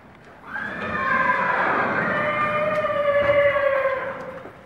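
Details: Barb horse near Meknes, Morocco, before a breeding contest: a long whinny that holds steady, then slides slowly downward over about three seconds, with faint background voices.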